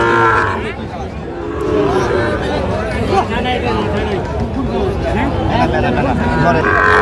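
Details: Sahiwal bull calves at a busy Bangladeshi cattle market in Comilla, 19 April 2025; short bellowing moos bracket the moment, one at the start and another near the end, with a dense hubbub of voices between.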